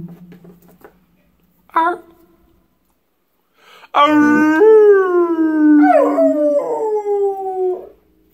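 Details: A pet pit bull joins its owner in singing: a brief yelp-like note, a quiet gap, then a sustained, tonal howl with rich harmonics that rises, holds and bends downward over about four seconds.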